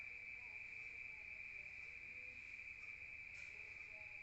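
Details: Night-time crickets in the countryside, heard from inside: an unbroken high, ringing trill dominates, with a few faint short tones and a low hum underneath.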